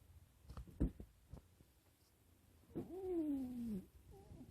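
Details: Sleeping house cat Waffle gives a single whistling snore: a steady tonal wheeze lasting about a second that drifts slowly lower. A few soft knocks and rustles come first in a still indoor setting.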